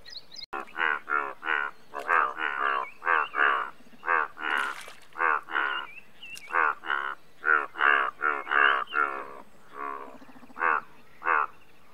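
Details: Indian bullfrog, the largest frog species in India, calling in a dense series of harmonic, nasal croaks, each about a third of a second long, packed closely over twelve seconds with faint insect noise behind.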